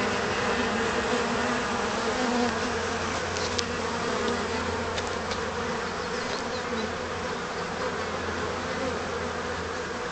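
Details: Many honey bees cleaning off honey spilled on them by accident, May 2010: a loud, unbroken buzzing drone with layered low hum and steady texture throughout.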